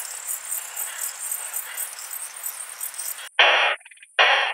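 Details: Short-tailed plump bush-cricket, Isophya brevicauda, in Muhrtal, Austria, 24 July 2022: faint high-pitched ticking pulses, then two abrupt loud rasping bursts near the end.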